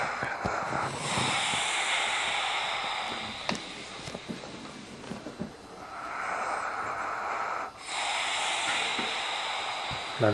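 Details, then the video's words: White boxer named Jop snoring loudly while asleep indoors; long, harsh, hissing breaths lasting several seconds each, one stretching from about one to six seconds and another filling the final seconds, separated by a brief quieter pause. "Dog Jop snores loud!"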